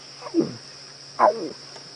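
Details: Two soft, falling moans from a lion, sounding like an adult lioness's contact calls as she comes to drink at dusk, over a steady high insect drone; Djuma Game Reserve area, South Africa, evening of 26 September 2016.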